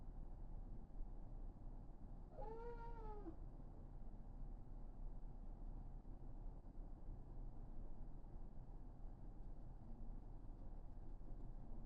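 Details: A female Somali cat named Karen, waiting by the toilet door, lets out one arched meow that rises and then drops over about a second, then stays quiet above a constant low room hum.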